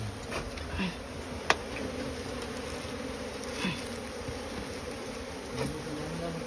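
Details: Asian honey bee (Apis cerana), known locally as the small bee, at a nest hidden inside straw; steady dense buzzing hum with soft clicks and a sharp tap near the start.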